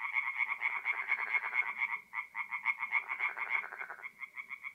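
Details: Tree frogs singing at night at a forest pond in north-east Italy in mid-April: fast, pulsed rattling croaks repeated in quick regular bursts, briefly dropping out near the second and fourth seconds before resuming, with no other clear sounds.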